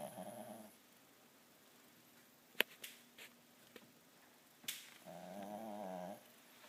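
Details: Sleeping pet dog Pugsly snoring indoors, a buzzy snore trailing off at the start, sharp clicks and taps in the middle, then another rough, wavering snore.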